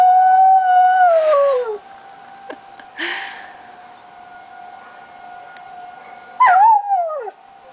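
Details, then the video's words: Lazarus, a dog, howling at the monthly tornado sirens on July 1, 2009. A smooth howl slides downward, then a pause with a few faint sounds over the constant siren tone, then a short wavering howl that dips and falls. "Lazarus howling at the sirens"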